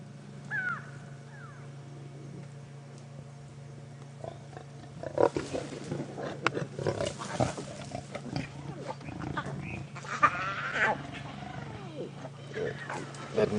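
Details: Lion cub of the Nkuhuma Pride moaning in the wild on a morning drive, 27 August 2016, after its mother disciplined it and refused to nurse it. Rough, irregular vocal bursts come from the midpoint onward over a steady vehicle engine hum, with faint bird chirps early.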